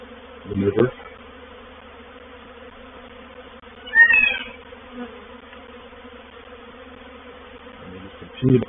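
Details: Reproductive honey bee swarm occupying a bait hive at Painted Peacock Manor, 04/07/21; a steady background hum is broken by low thumping bursts at both ends and a brief, higher wavering cry in the middle.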